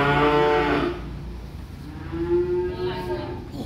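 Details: A small calf unloaded from a truck moos twice: a loud, harsh opening bellow, then after a pause a longer, smoother call that rises and slowly tails off, with a low rumble underneath.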